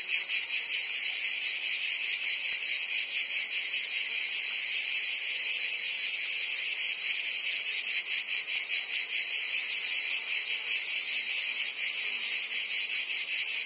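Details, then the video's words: Continuous chorus of crickets and other insects, very high and tinny, throbbing steadily at about two and a half pulses per second, with no other background sounds. "Cricket and Insect Sounds"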